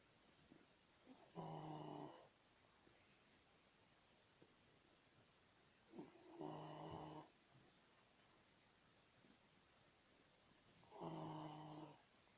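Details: Pet dog snoring indoors: three rasping, harmonic snores, each about a second long, spaced roughly five seconds apart with quiet breathing between.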